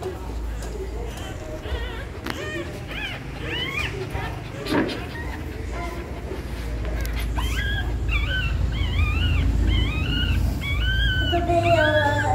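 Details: Dog in labour nesting ahead of giving birth; faint early whines give way to a dense run of short, arched, squeaky whimpers repeated rapidly in the second half, with a constant low hum beneath.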